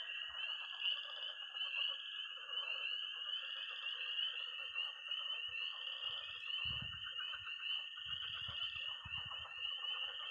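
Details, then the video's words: Frogs and toads calling together at night by a Missouri pond in early spring. High peeping tree frogs form a shrill, unbroken band over a rattling trill, and short low rumbles break in near the end. "Relaxing sounds. 20 minutes of toads and frogs, sound only!"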